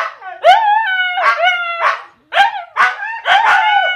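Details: Siberian Huskies Jiffy and Penny trade howls: short rising yelps swell into level, held notes, repeated in quick bursts with a brief pause midway.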